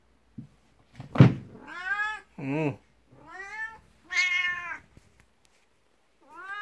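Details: A 12-year-old black cat, Beni, comes meowing to someone's feet indoors, rubbing against their legs for attention out of jealousy of a 19-year-old cat. Five loud, close meows, some short and chirping, come after a thump.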